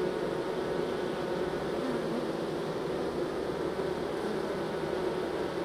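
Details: A colony of honey bees shifted from a nuc into a full hive gives a thick, even hum that holds at one pitch throughout.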